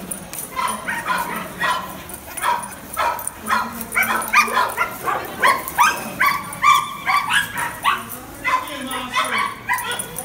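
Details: A Cairn Terrier chasing a lure barks and yips in quick, excited bursts, several each second.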